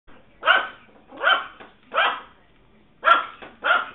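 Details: Yorkshire Terrier barking while chasing after a squirrel, recorded on a mobile phone: five sharp, bright barks in quick pairs and singles, each short and harsh, with quiet gaps between.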